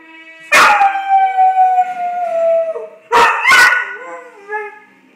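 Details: Male pet dog reacting to the Law and Order theme music with wavering howls broken by abrupt, harsh bark-like bursts. The howls slide gently downward between the bursts, then taper off into quieter wavering tones.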